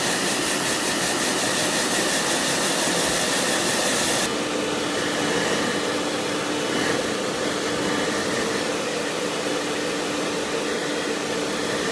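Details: Loud continuous motor roar like a hair dryer or vacuum, with a steady mechanical tone that shifts slightly after four seconds.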